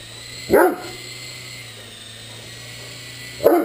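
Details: Two loud, deep woofs roughly three seconds apart from a Great Dane playing with a remote-controlled helicopter, the toy's motor whining steadily in between.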